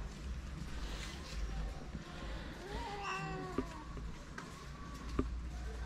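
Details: Homeless calico cat in a Moroccan street, among several crowding around people and begging for affection and food; one lower, rising-then-falling meow midway, with steady low traffic-like rumble and a few clicks.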